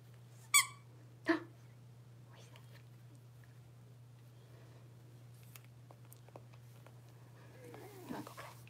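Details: Six-week-old blenheim Cavalier King Charles Spaniel puppies, a litter of five in an indoor puppy pen, born at New Year's: two sharp squeaky yelps close together early on, then quiet room noise and a faint rising whine near the end.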